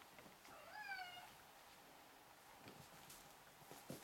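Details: Ragdoll kitten, four weeks old, romping with littermates: one clear descending meow early on, followed by quiet rustling and light taps of play.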